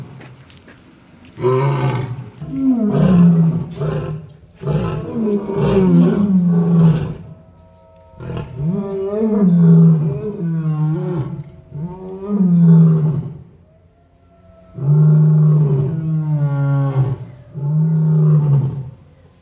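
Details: Powerful lion roar sequence: a cluster of rapid heavy bellows at first, then several separate long, low moaning calls that rise slightly and fade, with short silent gaps between.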